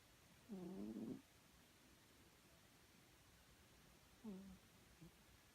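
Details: Chloe, a pet cat, snoring while asleep: a tonal, humming snore about half a second long, then a shorter, fainter one some three seconds later, with quiet room hiss between.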